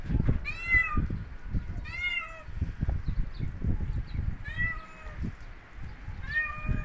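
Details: Domestic cat outdoors in natural surroundings during a snowy winter, giving four clear harmonic meows, each rising then falling, spaced about every one and a half seconds, over steady low rumbling wind or crunching noise.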